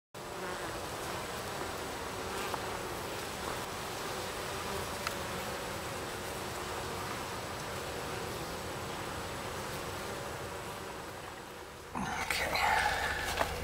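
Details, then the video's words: Wild Western honey bee colony that lived about four years beneath a mobile home, its hive 2 feet wide, 2 feet tall, 10 feet long and nearly 200 pounds; steady dense buzzing hum throughout, with a louder burst of noise near the end. "200 pound Honey Bee Hive Extraction from underneath a Mobile Home"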